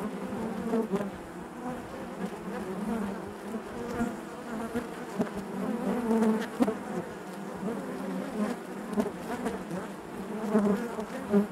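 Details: Honey bees buzzing inside their hive: a dense, steady drone with overlapping wing hum and brief louder swells as individual bees pass close, plus faint clicks and knocks from movement within the colony.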